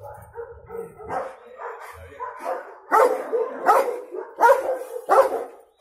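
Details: Cimarrón Uruguayo confronting an intruder on their first meeting, starting with softer yaps and then four loud, harsh barks spaced less than a second apart near the end.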